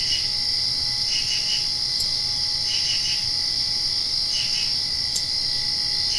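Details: Post-rain nighttime crickets keep a bright, steady high whine while triple-pulsed chirps break in roughly every one and a half seconds; a few isolated clicks stand out.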